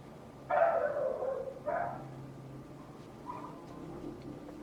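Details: A neighbour's dog barks from a distance: one long rough bark, then a shorter one a second later, fading into faint further yelps and low background hum.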